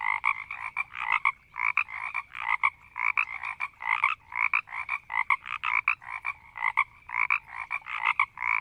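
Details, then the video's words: Frogs in a marsh croak and growl slowly in a dense, overlapping chorus of short, rattling pulses repeated without pause. "Frogs in a marsh croaking and growling slowly -Sound effect"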